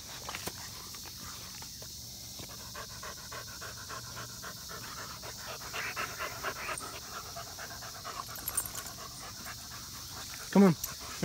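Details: German Shepherd dogs outdoors, with five-month-old Samson just after getting hurt and five-year-old Odin nearby. Quick, steady, breathy panting runs throughout, with one short louder sharp sound near the end and faint footsteps and background hiss.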